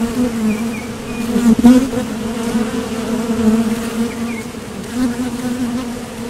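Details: Continuous low humming of honeybees leaving and landing at a Top Bar Hive entrance on nectar trips, one bee passing loudly near the microphone at about one and a half seconds, faint high chirps in the distance.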